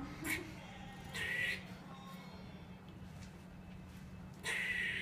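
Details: Squirrel hanging upside-down on netting 100 feet up in Whitechapel, East London, alarmed at a cat below: three harsh, buzzy, noisy bursts, a short one, then a longer one, a pause, then another, over a steady low hum.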